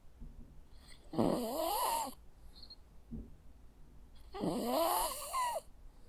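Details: A Jack Russell Terrier snores in its sleep: two long, raspy, wheezing snores about three seconds apart, with a soft short snuffle in between.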